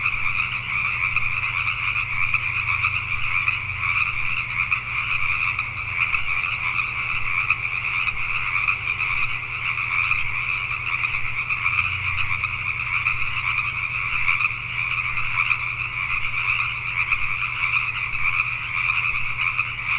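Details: Pacific tree frogs calling at night in Richmond, British Columbia, Canada: a dense, unbroken chorus of many overlapping croaks, a bright high band over a lower one, pulsing steadily for twenty seconds above a faint low hum.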